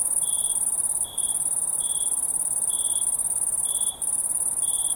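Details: Night-time crickets chirping in brief bursts about once per second, set against a constant thin, piercing trill in the background.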